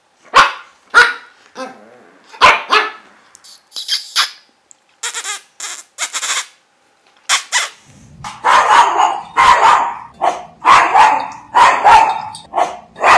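A pug barks in sharp, irregular bursts, building to a run of rapid, insistent barks.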